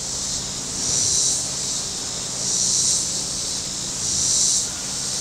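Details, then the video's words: Cicadas on the shore of Table Rock Lake in southern Missouri, on a very warm Saturday, swell three times into loud, hissing high buzzes separated by quieter stretches, with a faint low boat hum behind. "Boating Lake Sounds and Cicadas"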